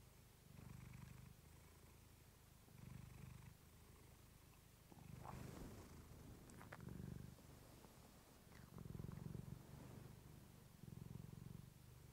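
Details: Relaxing purr from the pet cat Clementine on a fluffy mic: low rumbling swells roughly every two seconds across the stretch, with a few faint rustles and clicks between breaths.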